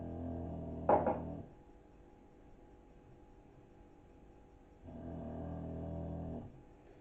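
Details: A 9-year-old English Bulldog snores in the background indoors, with low, rumbling breaths each lasting over a second and long pauses between.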